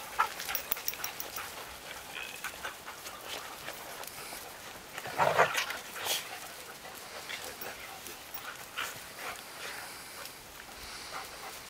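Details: Dog during training in Vestfjellet, a mountain area; a single short, rough bark bursts out midway through, with soft whimper-like sounds and faint clicking and rustling around it in an otherwise quiet outdoor setting.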